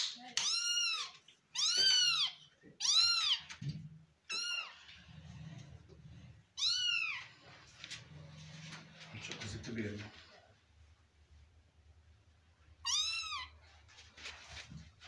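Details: Kitten indoors in a room, giving about six clear, high, arching meows, several in a quick run at the start and one more after a long pause near the end, with low human voices murmuring between them.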